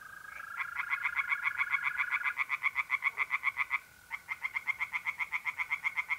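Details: Pond tree frogs singing on a mid-April night in north-eastern Italy. A loud series of rapid, grating pulses breaks off once briefly and then resumes. A steady mole cricket trill hums in the opening seconds.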